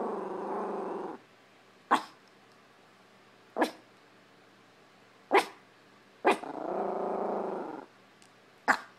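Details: Indoors in a living room, Prada the Chihuahua confronts a hamper of clothes with a low continuous growl, then single sharp barks spaced about every two seconds, followed by another drawn-out growl and a final bark.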